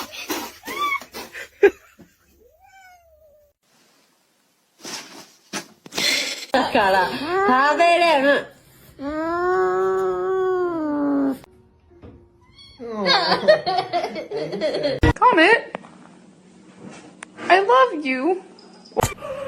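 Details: Domestic cat meowing in a series of drawn-out, arching wails, loudest mid-clip, separated by gaps with human speech and room sounds; indoors, a few sharp knocks.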